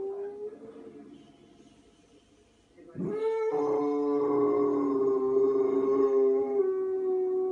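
A Boxer dog gives a long, steady, wolf-like howl held on one tone.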